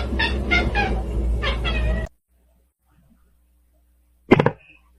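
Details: Kitten meowing: a quick run of five short, harmonic mews packed into two seconds, then a pause of near silence before one brief, sharp final cry.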